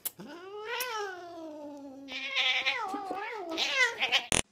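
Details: Domestic cat gives a long, rising then slowly falling meow, followed by shorter wavering cries, while a person speaks encouragingly nearby, ending in a sharp click.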